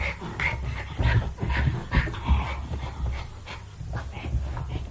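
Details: Low, gravelly play growls from a Jack Russell Terrier, mixed with breathy panting huffs, louder in the first half, then trailing into softer grumbles.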